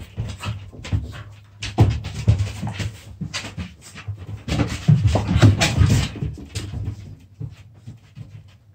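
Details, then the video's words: Puppy play-fight with rumbling growls and rough panting snorts, a loud cluster early and a longer growling flurry past halfway before the noise dies away. "puppy play"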